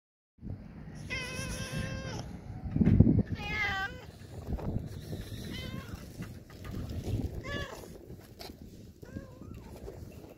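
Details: A huge, very hungry stray cat gives several drawn-out, wavering meows with rich overtones, spaced a few seconds apart, over steady low rumbling background noise and occasional soft voices.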